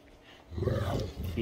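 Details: Great Danes Rhapsody and The Heartbreaker in morning play: one lets out a short, deep, rumbling growl that starts suddenly after half a second and holds steady, with a calm human voice nearby.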